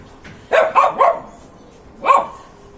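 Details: Pet dog barking: a quick burst of three sharp barks followed after a pause by one more, each with a clear tonal core and rough upper harmonics, against a quiet background.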